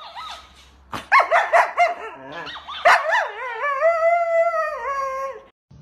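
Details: A husky dog gives choppy, warbling yips and short barks, then slides into a long, steady howl that wavers slightly before breaking off.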